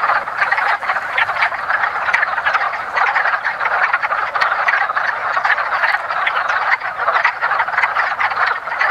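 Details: Many wood frogs calling together at a woodland pond during their annual spring breeding, a busy, low-pitched clacking chorus with individual croaks popping out of the steady din.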